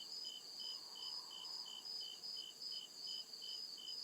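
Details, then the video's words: Crickets in the deep woods after dark, giving crisp high chirps in a regular beat of about two per second, with a persistent shrill ringing layer and quiet night background. "CRICKET CHIRPING SOUND"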